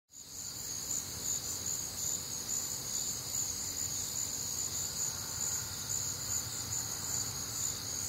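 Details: Crickets and other nocturnal insects calling on a warm, humid Midwestern summer night; dense, continuous high-pitched trilling in several steady bands, pulsing slightly, with a low background hum.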